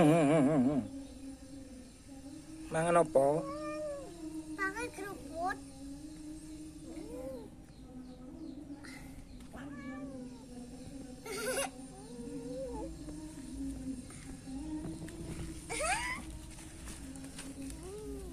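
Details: Wild cat with panda-like eye markings meowing: several wavering meows, some rising then falling, at irregular intervals over eighteen seconds, above a steady low hum, with a man speaking at times.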